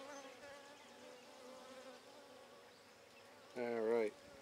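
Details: Buckfast honey bees in a handmade first hive opened on 23 May 2009 to check brood growth, queen on a frame: a steady low droning hum with layered harmonics, then a louder, brief buzzing surge near the end as a bee passes close.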